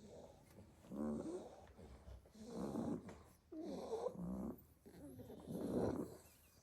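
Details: Staffordshire Bull Terrier puppies asleep in a basket after a full day of play in the garden, snoring loudly; rough, breathy snores in four bursts, roughly one every one and a half seconds.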